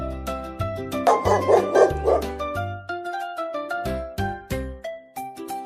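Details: Farm dog for young learners gives a quick run of four or five sharp barks near the start, then falls silent while calm children's music with bright plucked notes carries on.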